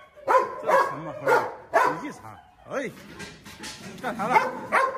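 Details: Lame Presa Canario called Xuanfeng, pack leader confronting a strong rival while marking territory, barks in heavy repeated bursts roughly every half second, mixed with whining, rising-falling tones and a man's shouting voice.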